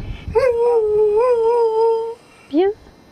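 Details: Kuvasz singing with its owner in April 2011, giving a sweet, gentle howl: one sustained wavering tone lasting under two seconds, then a short rising yelp, with a voice heard at the start.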